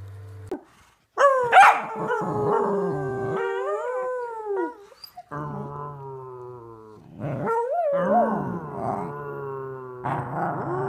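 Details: Pembroke corgi named Mona Lisa, a family pet, giving long drawn-out howls with wavering, gliding tones, in several bouts separated by short pauses.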